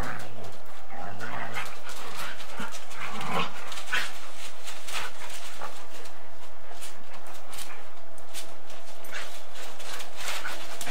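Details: Two dogs, a Golden Retriever and a Samoyed, wrestling in bitey-face play and running after each other, on old 8mm tape: short growly grumbles and whines early on, then scuffling, panting-like noise over constant hiss.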